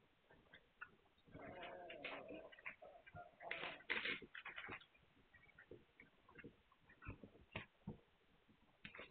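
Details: Several Magyar Vizsla puppies, filmed 9 March 2021, produce a busy run of thin squeaks, whimpers and sharp clicks, bunched densely in the first half and tapering into scattered yips.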